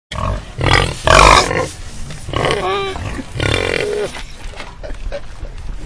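Wild pigs squeal shrilly and grunt harshly while fighting.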